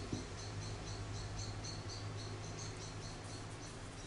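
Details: Charlie, an orphaned baby grey squirrel about a week old, found fallen from its nest in a garden and hand-reared indoors, gives faint high squeaks in a steady train, several per second, over a low electrical hum.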